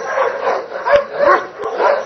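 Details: A Dobermann barks in quick, harsh bursts, roughly every half second, during Schutzhund work at a Hungarian breeding test.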